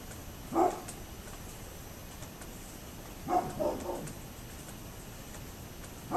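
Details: Neighbour's dog barking, recorded 27 October 2011: one lone bark, a pause of nearly three seconds, then a rapid burst of three barks, muffled by distance and steady background noise.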